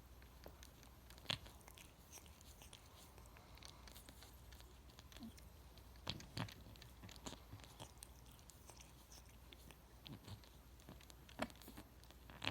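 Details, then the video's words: Domestic cat grooming itself indoors in a small room: loud, wet licking clicks in uneven bursts, with sharper snaps near two, six and eleven seconds over a quiet room hum. "Cat makes loudest sounds licking self"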